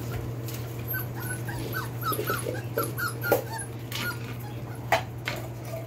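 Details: Litter of Belgian Malinois puppies aged four weeks and four days, born 26 September 2021, giving many short, high, squeaky whimpers and yips that overlap in quick succession, over a steady low electrical hum.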